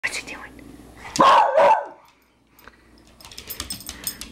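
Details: Beagle battling a tiny hex bug robot at home: a loud, harsh bark-like burst lasting about half a second, followed by a brief silence, then faint clicking and rattling from the small robot.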